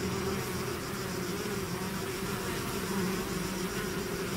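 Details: Swarm of bees emerging from a hive, a thick constant hum with clear low droning tones and no gaps, no other sounds standing out.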